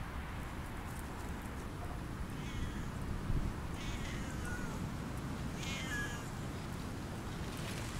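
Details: Siamese cats outdoors on Christmas Eve during an off-leash forest walk; a few short, high meows come at uneven gaps over steady low rumbling noise.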